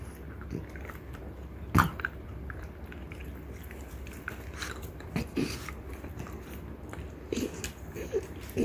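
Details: Ume and her daughter Roku, female French Bulldogs, biting a deer antler; irregular crunching clicks with a sharp loud crack early on and several grinding bursts later, over low steady background noise.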